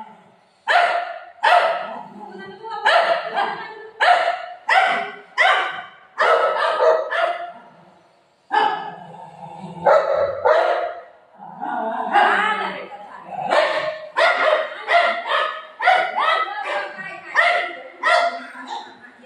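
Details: Playful golden retriever barking at its owner during a game: long runs of rapid, sharp barks with short gaps, a brief lull near the middle, and a human voice faintly mixed in.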